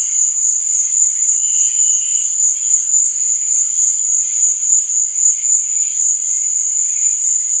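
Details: Crickets at night: a dense, steady high-pitched trill pulsing rapidly without pause, with softer, lower chirps flickering faintly beneath and no other sounds.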